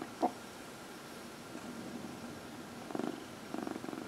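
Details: Purring domestic cat being massaged, one of four indoor cats. A soft click opens a mostly quiet stretch, then the purr returns in two short louder pulses near the end.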